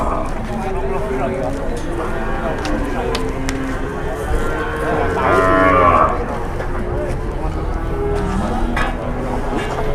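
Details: Cattle at a busy livestock market in Indonesia, one louder drawn-out moo swelling near the sixth second over a dense murmur of other lowing animals, voices and crowd chatter.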